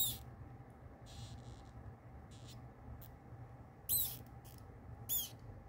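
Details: Kingsnake holding a newborn pinky mouse by the face at live feeding; a few faint rasping sounds, then two loud high squeaks near the end, set over a steady low hum.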